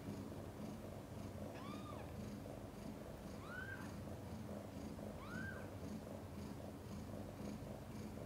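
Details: Mother cat Chan purring during a difficult labour delivering five kittens, some born backwards: a steady low rumbling purr runs throughout, broken by three short arched mewing calls about two seconds apart.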